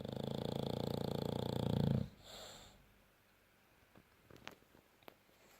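A French bulldog snores with a loud, low, rattling buzz that cuts off after two seconds.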